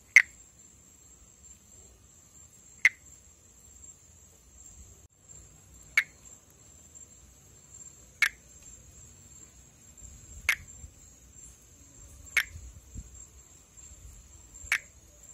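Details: Pithecopus nordestinus, a treefrog endemic to Brazil known as perereca-macaco, calling while in amplexus. Seven crisp, short tick notes repeated about every two seconds, fairly regular, over a steady thin insect whine.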